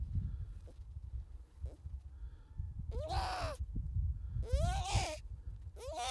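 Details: Baby harp seal approaching and mistaking the person for its mother, coming to smell them; three wavering, arched bleating cries, nasal and rising then falling, with low wind rumble throughout.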